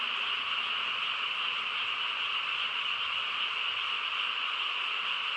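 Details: On a peaceful rural night, a chorus of frogs forms a thick, constant croaking hum, many voices blended together without gaps or changes in strength.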